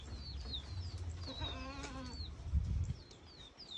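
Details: Prospective breeding buck goat at a farm in Gelang village, Keling, Jepara, Central Java, Indonesia: one wavering, harmonic bleat lasting about half a second. High, descending bird chirps repeat throughout over a low background rumble.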